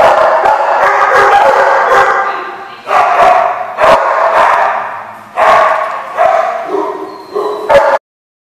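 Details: Dog giving a run of loud, harsh barks, a dense stretch in the first two seconds followed by single or paired barks roughly every second, ending abruptly in silence.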